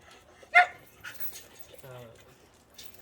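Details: Dog Cheondung-i after a walk gives a single short, sharp bark near the start, followed by faint indoor rustling and a soft low murmur.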